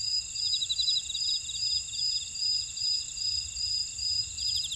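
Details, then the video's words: Grass insects singing together in a Jeju buckwheat field, Ora-dong, South Korea: layered thin, constant whines with evenly spaced sharp chirps and a quicker rattling trill beneath them. "제주 메밀밭의 풀벌레 소리"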